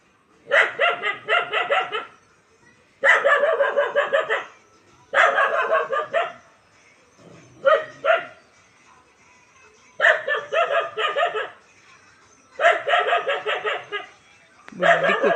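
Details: A dog in a household with puppies barks in rapid bursts of four to six sharp, ringing barks, each burst separated by about two seconds of quiet.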